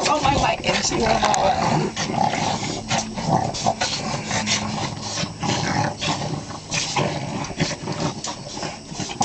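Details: Three Boston Terriers in West Virginia attack a stuffed toy lion in play, growling in rough, rumbling bursts while people in the background tell one to let go.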